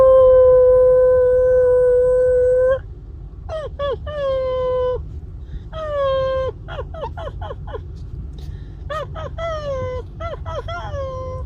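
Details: A long steady tone opens the clip. Then a seven-week-old female Maltese puppy named Heather yaps in rapid strings of thin, sharply arched yips, six or seven per burst. A woman coaxes her under the covers.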